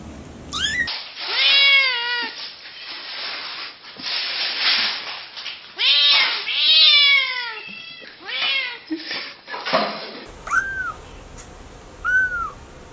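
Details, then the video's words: Kittens meowing in a quick run of overlapping high, arched mews, several voices at once, then two clear single mews near the end; calls bend up and down in pitch with bright overtones. "Kittens meow"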